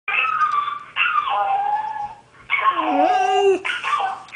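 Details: A female dog howls in long, wavering notes that slide downward, answering her friend, a Jack Russell, howling on the answering machine.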